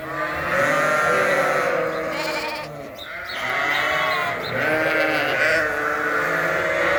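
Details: A flock of sheep, indoors on a Canadian farm during a winter blast, bleats loudly and continuously at morning feeding time, many overlapping wavering voices screaming for food.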